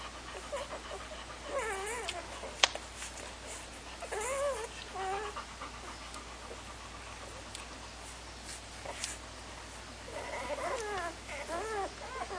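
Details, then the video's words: Puppies give bursts of wobbly, rising-and-falling squeals and whines in clusters near the start, middle and end, separated by quieter rustling and one sharp click. "Puppies #3"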